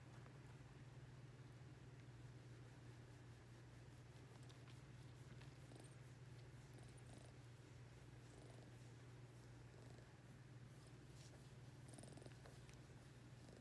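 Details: Pet ring-tailed lemur purring while being lovingly petted, a constant low droning rumble with soft rapid pulsing, light scratchy handling sounds scattered over it.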